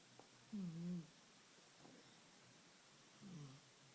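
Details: An old pet cat snoring as she sleeps indoors: low, droning, hum-like snores near the bottom of the range, one drawn-out breath then a shorter one roughly three seconds later, in a quiet room.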